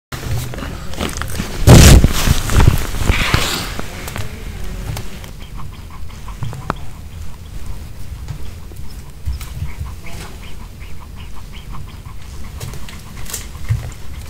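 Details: A Pomeranian eats a homemade chicken heart kebab with bell pepper, chewing and crunching with irregular wet clicks and snaps close to the microphone.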